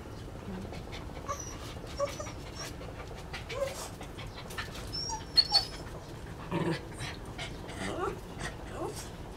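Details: Grown female dog, the mate of a dog called Ken, breathing in short breathy panting bursts with a few faint, thin high whimpers scattered through, over a steady low background hum.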